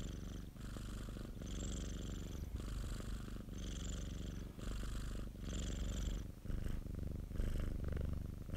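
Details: Pet cat's purr, deep and buzzing, pulsing with regular breaths about every second, soft breathy hiss riding over the rumble in a quiet indoor setting.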